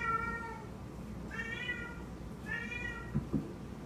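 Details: Scooter, a house cat, is talking to his toy pig. He gives three clear meows, evenly spaced. The second and third swell upward before fading, and a couple of soft thumps follow near the end.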